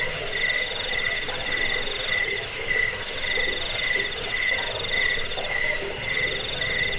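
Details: Cricket (jangkrik) chirping, offered for driving away rats, as a sleep aid and as a tutor sound for training songbirds; dense, steady high-pitched pulsed trills overlapping in a continuous chorus with no other sounds.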